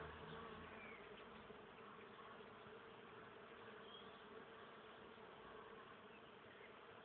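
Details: Swarm of honey bees working a blossoming maple tree covered with them on 31 March 2014, a dense continuous droning hum with no breaks, steady in level throughout.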